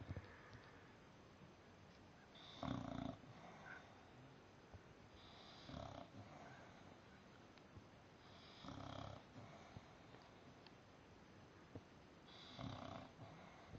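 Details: A male English Bulldog, napping upside down, snores in rough, rattling bursts, one with each breath about every three seconds.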